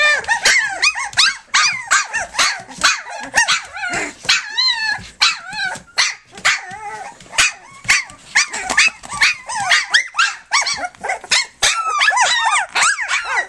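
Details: Flute's litter at three weeks old, nursing and at play, keeps up steady high whining and squeaking. Several pups overlap, with a few longer wavering whimpers standing out.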